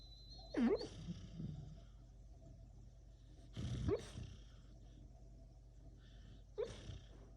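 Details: A sleeping dog dreaming, letting out three soft muffled whimpers and squeaky yelps a few seconds apart, the first with a brief whining pitch swoop, over a quiet steady background hum.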